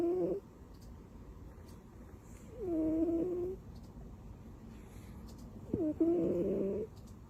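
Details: Sleeping pet cat Butters, tucked in like a baby, lets out three breathy tonal snores, the last louder and fuller with a brief click at its start, separated by quiet gaps of faint room hiss.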